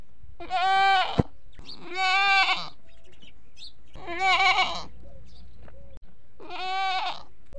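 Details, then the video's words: Desi goats, both bucks and does, at a goat farm, calling for food or for their kids: four loud, strained, harmonic-rich bleats, each about half a second to a second long, separated by short pauses. "Bakra Bakri Ki Awaaz At Goat Farm || बकरी की आवाज"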